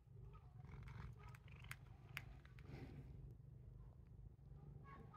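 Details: Titchimo, a pet cat, purrs while biting its owner, a habit it has always had. A steady low rumbling purr runs throughout, with a few scattered clicks and rustles above it.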